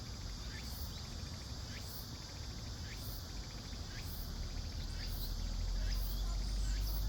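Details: Cicadas calling in a forest in Seoul during midsummer: a steady, high buzzing drone runs throughout, overlaid by sharp rhythmic pulses about once every second, with a low background rumble.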